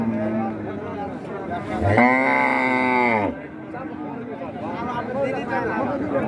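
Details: Cattle at a busy cattle market in Raniganj, Dinajpur, in 2025: one loud, drawn-out moo of about a second, rich in harmonics, rising then falling, with people talking and crowd chatter around it.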